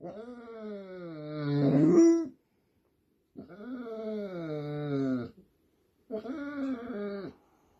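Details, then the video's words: Basset Hound howling indoors while its companion dog is away at the vet: three drawn-out, mournful howls, the first swelling louder and longest, each with a rich tone that slides downward, separated by short silences. "Basset Hound Howling!"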